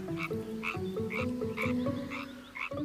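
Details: A male European tree frog, in the breeding season, inflates his vocal sac and gives rapid, rasping croaks repeated several times a second to attract a female, who is sitting nearby.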